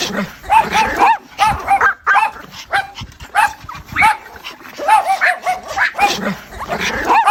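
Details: Calling to her puppies, a mother dog gives arched, nasal whines and small yips in repeated groups of two to four. Short lulls separate the groups.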